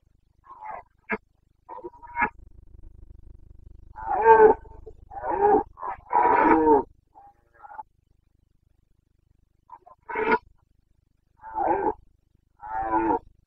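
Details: Boncănit, the rutting roar of a Carpathian red deer stag in Bucovina's mountain forests, 29 September 2022: short grunts building to a run of gravelly bellows, then three more separate roars, over a faint low hum.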